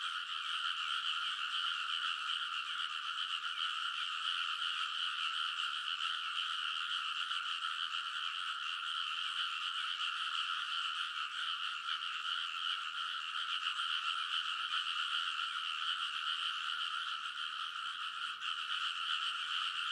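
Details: Many frogs calling in full chorus along rice paddy ridges at midnight in early summer, Kounosu, Saitama Prefecture, Japan; relentless layered croaks blending into a constant, even roar with no pauses, captured with a TASCAM Portacapture X8.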